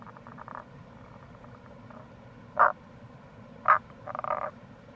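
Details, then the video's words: Tago's brown frog (Rana tagoi) calling in April near a gorge on the Kamo River, Itoshima, Fukuoka, Japan: short low grunting croaks, two single notes then a rapid pulsed burst, over a steady background hiss of flowing water. "Wild Frog Call | タゴガエル"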